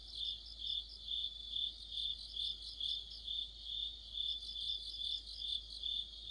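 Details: Autumn insect orchestra led by crickets by a streetlight: bright, high chirps pulsing rhythmically roughly twice a second, layered with softer shimmering trills from other insects.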